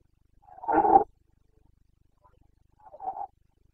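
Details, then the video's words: Carpathian red deer stag in Bucovina during the rut, 29 September 2022: a single strong, gravelly roar lasting about half a second, a pause of quiet, then a softer short groan. "Boncănit / Carpathian stag Breeding season"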